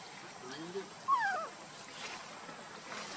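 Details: A monkey in a group with Luna, who carries her baby Luno while Rainbow tries to take him, gives a single clear tonal call falling from high to lower pitch, with a fainter echoing trace above it, over a soft rushing background.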